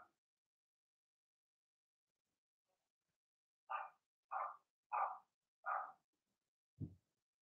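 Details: Cavalier King Charles Spaniel puppies, Blenheim litter of six born in March, barking in the puppy pen: after a few quiet seconds, four evenly spaced mid-pitched barks and a final lower, deeper woof.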